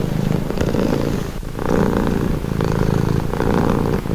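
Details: Calming purr of a pet cat, deep vibrating rumble pulsing in breath-timed phases roughly once a second, recorded close with no other sounds.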